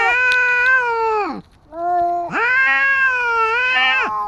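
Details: Street cats squaring off, a tabby against a white cat: two long nasal yowls, the first falling away at its end, the second rising then held and wavering.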